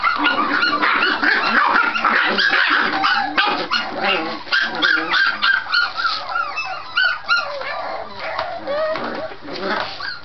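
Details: .Scottish Terrier puppies at play, vocal rather than fighting, making noise to seem vicious: a dense run of overlapping growls, yips and barks, several per second, rising and falling, almost without pause.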